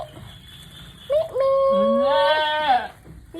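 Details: Mother goat struggling through a difficult birth gives one long, wavering, nasal bleat lasting nearly two seconds, rising slightly then falling away, with quiet background noise and people nearby.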